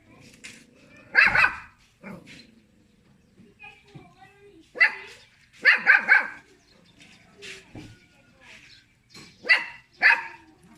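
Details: A little pet dog barking at people: short harsh barks in paired bursts every few seconds, separated by quiet gaps, with faint human voices in the background.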